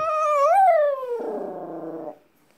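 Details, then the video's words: Pet dog's wolf-style howl: a clear tone swelling upward, peaking, then sliding down and turning rough and growly before stopping. "늑대 울음소리"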